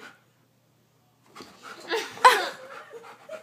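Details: A Goldendoodle, deathly afraid of a tiny guinea pig, breaks a short silence with rapid panting and a sharp high whine, then softer whimpering breaths; people speak close by.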